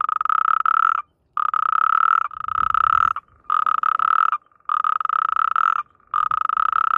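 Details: Loud, close natterjack toad croaking while mating, in amplexus. Grating, rapidly pulsed trills lasting about a second each come in quick succession with short silent breaks between them.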